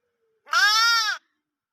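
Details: Single loud bleat from a baby sheep, a steady harmonic baa lasting under a second, slightly arched in pitch, with silence before and after.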